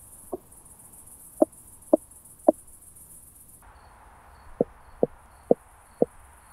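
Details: Meconema meridionale recorded near Starnberg, Germany, 7 Aug 2023, through a Pettersson D 100 ultrasound detector with noise removal; brief hard clicks spaced roughly half a second apart, four early, four more after a gap, steady hiss behind.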